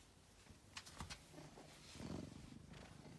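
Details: Angelus, a male pet cat once found sick and thin in a basement, purring softly and steadily with low rumbling pulses under a few sharp clicks and light handling noises.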